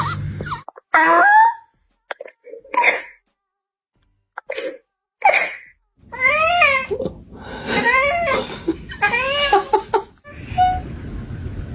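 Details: Domestic cat making odd, funny noises: a run of short harmonic meows that bend up and down in pitch, broken by silent gaps, with faint background music.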